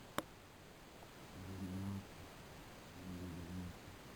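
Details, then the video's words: A pet Beagle snoring indoors during an afternoon nap that gets interrupted; two low, rumbling snores each lasting under a second, separated by a pause, after a brief sharp click at the start. "Snoring Beagle"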